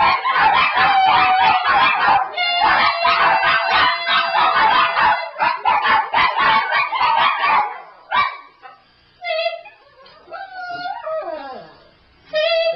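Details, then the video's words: Several Shih Tzus form a choir, howling along as a woman leads them in "America the Beautiful" indoors; dense pulsing singing and music fill the first eight seconds, then wavering, sliding dog howls rise and fall between short pauses. "Shih Tzus sing "America the Beautiful""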